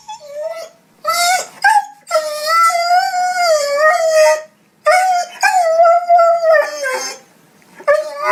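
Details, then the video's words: Dog crying and whining, emotional in tone: long wavering howl-like whines that waver up and down in pitch, broken by short yips and gaps, uneven in rhythm. "Emotional Dog crying and whinning sound"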